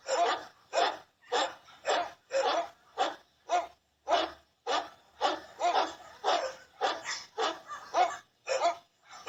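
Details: Dog barks repeated steadily, about two per second, each a short harsh burst, continuing without pause for the whole stretch.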